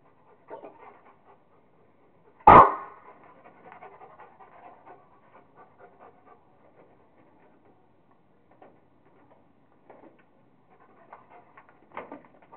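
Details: Kingston the Rottweiler at play with a squirrel gives a single abrupt bark, set among soft panting and scattered breathy huffs before and after.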